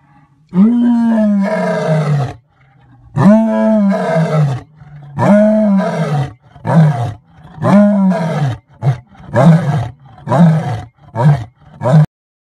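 A white lion roars: deep, moaning bellows that shorten into a string of quicker grunts.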